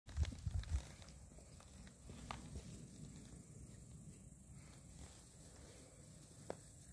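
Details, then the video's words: An 8-week-old American Staffordshire Terrier puppy gives its first growl, a low rumble, with a few thumps at the start. "Amstaff Welpen 8 Woche erstes knurren"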